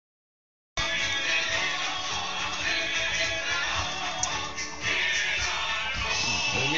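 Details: Music with singing plays loudly and steadily from the first second to the end, after a brief silent opening; no animal voice stands out.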